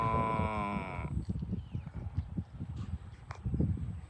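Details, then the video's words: Farm cows being herded to the barn; a single low, harmonic moo lasting about one second opens, followed by hoof clatter and shuffling movement. "Herding Farm Cows to the Barn - Funny Moo Sounds"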